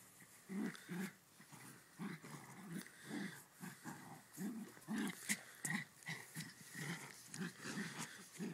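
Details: Two dogs at play, a Ridgeback and a West Highland White Terrier, trading short gruff growls roughly twice a second, each a rough low burst, with huffing breaths and scuffling in between.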